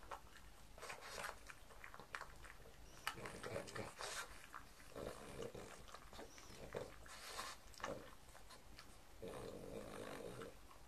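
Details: Pug named Mars eating a breakfast of white bread croutons and beef bacon indoors; irregular crunchy chewing bursts and soft snuffling breaths, with quiet room tone between bites.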